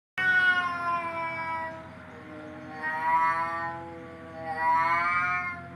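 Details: Domestic cat, recorded as a sound for driving cats away, giving long drawn-out harmonic meows that start loud, sag, then swell again twice in wavering rising-falling wails, with a steady low hum underneath.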